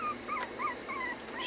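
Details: Puppies being trained to stay whimper in a run of short, high, wavering whines, about four in a second and a half, amid a person's repeated commands.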